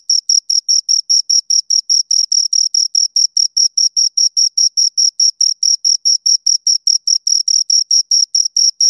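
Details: Two crickets give a continuous run of rapid, shrill chirps, each pulse crisp and evenly spaced at about four or five per second, sustained throughout without pause against a silent background.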